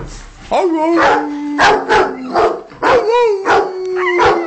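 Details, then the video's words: Two Rottweilers reacting to music: one holds a long, steady, low howl while the other gives sharp barks. Music plays and a person talks in the background. "rottie howling at music"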